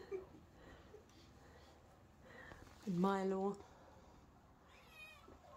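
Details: Domestic cat at an animal rescue shelter in Romania, indoors. One clear meow lasts under a second; it rises and then levels off, with a strong harmonic stack. Faint voices and room noise surround it.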